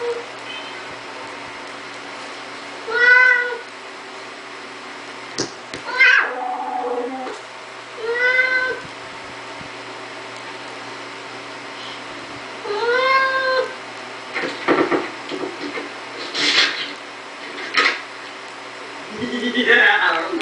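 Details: Siamese cat opening a door indoors, giving four short meows at intervals of a few seconds amid clicks, rattling and thumps from handling the door, with a final meow at the end.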